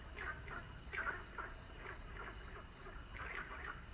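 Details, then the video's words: At sunset, several frogs give brief raspy croaks in clusters, louder near the start and end, while a rhythmic high-pitched insect pulse repeats behind them. "listening to the sound of frogs.夕陽西下，聽取蛙聲一片。"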